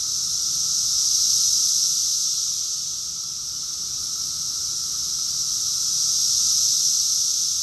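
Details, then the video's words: June 2021 cicada chorus from Rockville, Maryland, USA: continuous piercing drone with two slow surges, one early and one near the end, dipping in between, no other sounds standing out. "Cicadas song || Cicada's chorus song"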